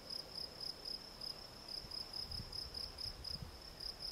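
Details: Field cricket, Gryllus campestris, chirping steadily: short, clear, high-pitched pulses repeated about three to four times a second, each chirp sharp and ringing, with faint low rumbling in the background.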